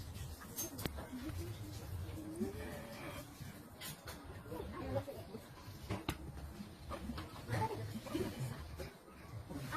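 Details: Fighting cats trading wavering, drawn-out yowls in brief bursts, broken up by sharp thumps and scuffling against a muffled indoor background.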